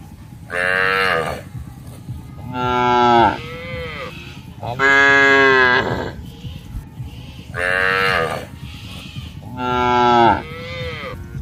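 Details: Cattle moo loudly in drawn-out calls, roughly one every two seconds, while grazing in an open grassy field alongside goats, buffalo and monkeys; cow.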